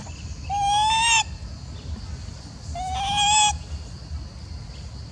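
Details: Female macaque, seemingly jealous and upset while an old female is fed; two drawn-out, clear tonal calls, each gliding slightly upward, about two seconds apart over a soft background rumble.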